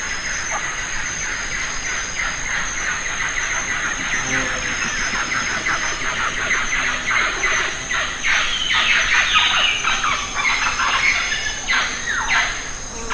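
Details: Lion-tailed macaques in the Western Ghats, feeding on jackfruit; a rapid, uneven series of harsh squealing calls, many overlapping and growing louder toward the end, over a steady high background hiss.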